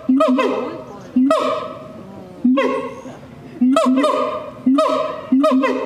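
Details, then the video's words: A siamang calls after dark with loud, nasal, honk-like barks, sometimes doubled, repeated about once a second, each trailing off into a fading tail. "suara siamang di malam hari/the sound of gibbons at night"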